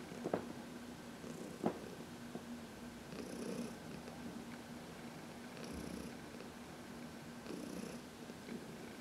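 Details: Heidi, an elderly cat adopted from the Humane Society of New York City, purrs contentedly under a massage in the sun; low, even rumbling persists, punctuated by a few soft clicks and brushing sounds.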